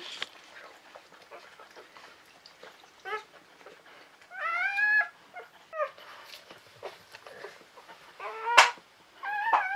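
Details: Newborn Czechoslovakian Wolfdog pups, one of them climbing to the teat, give drawn-out whimpering cries that rise then slide down, plus a sharp squeal near the end, between quieter stretches of rustling; mother Orizon's litter, born November 2020.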